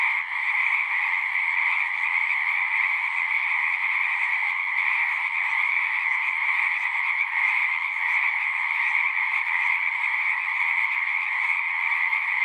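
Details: A pond full of singing frogs in a horse pasture, Zoom recording; a thick wall of continuous high trilling, slightly rough in texture, stays level from start to finish.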